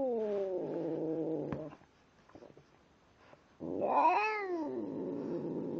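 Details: Tim, a pet cat, vocalising while he eats: a sustained low growly tone with stacked harmonics for under two seconds, a pause, then a louder rising-and-falling wailing call that trails off into a droning murmur.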